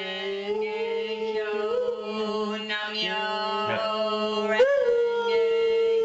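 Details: Nero, a three-legged dog, howls or 'chants' along to a soundtrack of the Yoko Ono piece 'Namyo ho renge kyo': a long, steady, wavering tone with a smooth upward swoop near the end, over continuous music.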